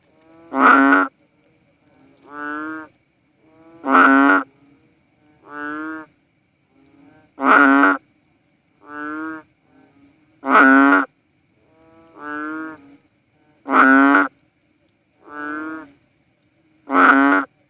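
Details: Philippine banded bullfrog, known as cowsound frog, calling in a steady back-and-forth: loud, rich lowing notes answered by softer, reedier ones, each near half a second, about ten calls in total over quiet background.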